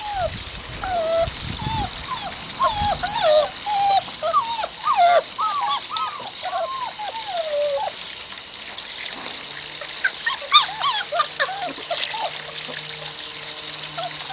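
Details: Magyar Vizsla puppies on their first contact with water, giving a run of short high whimpers and squeaky yelps that rise and fall, many per second, fading after eight seconds; trickling water and a faint low hum follow.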